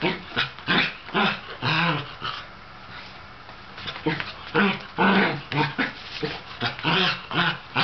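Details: An older sable Shetland sheepdog, feeling crazy and wanting to play with a younger ginger tabby cat, barks in quick, uneven bursts, roughly two per second, some rough and growly, with short pauses between volleys.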